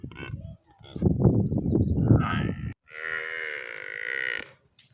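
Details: Village water buffalo calf gives one sustained, steady bleating moo of about a second and a half, preceded by a burst of low, rough rustling and grunting noise.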